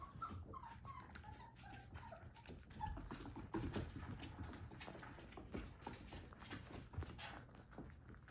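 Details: Three-week-old Whippet puppy, out in a living room, giving thin, wavering whimpers in a falling series during the first three seconds. Quieter squeaks and shuffling follow, with a steady low hum behind.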